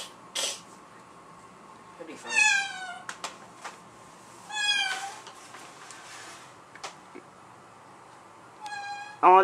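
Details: Domestic cats indoors: a black-and-white mother cat acting hostile toward her black offspring, newly back home after living elsewhere. Three drawn-out, falling meows with strong overtones ring out at about 2, 5 and 9 seconds, with people talking quietly between them.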